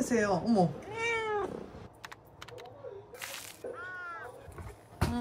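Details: Indoor pet cat calling with two clear, drawn-out meows about three seconds apart, each arching up then down, plus a brief softer squeak, light handling noises and a quiet human voice.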